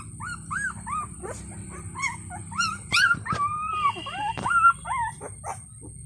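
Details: Puppies whimper and squeal in rapid, overlapping high cries to get their mother's attention while she feeds four others of her eight puppies.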